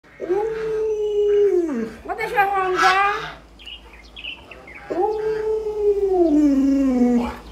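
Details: Pet Alaskan Malamute Luoluo howls at its owner, who is too sick to get out of bed: two long drawn-out howls, each gliding gently downward, with a burst of human voice and noise between them.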